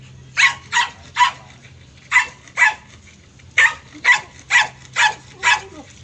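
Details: Barking German Shepherd at a stud session: loud, sharp barks in clusters of three, two and five, evenly spaced with brief pauses, over a low steady hum.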